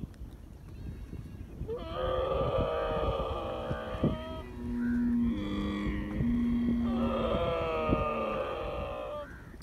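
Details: A young camel calf drinking milk from its mother in the desert gives long, nasal, droning calls with a rich harmonic, almost bleating quality.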